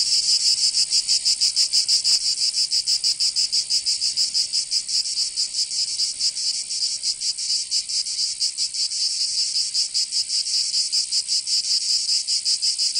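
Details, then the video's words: Chorus of cicadas in a Provençal summer, southern France: a relentless high, rasping drone rising and falling in soft irregular pulses, with a faint click near the start and nothing else audible. "Canto Cigarra 🦗 [ Escuchar les cigarras en verano 10 H]"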